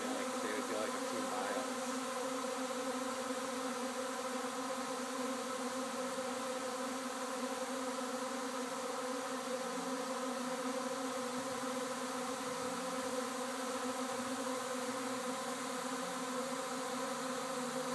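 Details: Honey bees swarming at a house in Arcata, an unbroken even hum of many bees with steady layered drone tones throughout.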